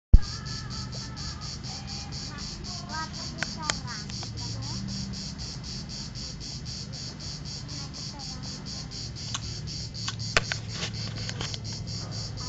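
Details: Last cicada of the season, recorded at Vello, province of Brescia, Italy, on 4 September 2010 at 16:04 on a mobile phone: a steady high buzzy pulsing, about four pulses a second, over low rumble, with a few faint chirps.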